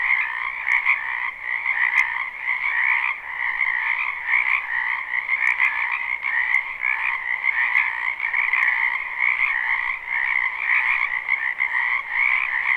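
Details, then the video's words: Spring wetland frog chorus recorded live near a home: countless overlapping croaks merge into an unbroken trilling drone, gently rising and falling in loudness, with a few sharp ticks scattered through. "Ambient Noise for Sleep Frogs"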